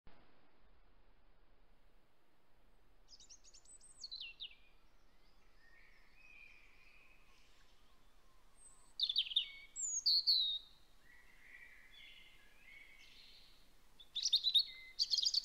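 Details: Young hedgehogs in their nest in a hedgehog house behind an Aralia, 27 September, give thin, high-pitched peeps and whistles in short, scattered bursts.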